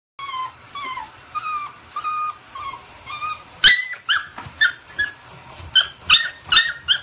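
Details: Female puppy whimpering in protest at being given a bath: high, whiny cries with a falling pitch, repeated about every half second. Later they become sharper, broken yelps, with light splashing and handling noises.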